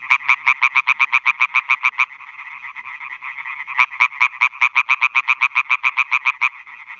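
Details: Male European tree frogs calling for females at night from newly built meadow ponds in Schleswig-Holstein, Germany, 2017, with bats hunting overhead; rapid rhythmic nasal croaks, about seven per second, in bursts broken by a steady chorus hum of other frogs.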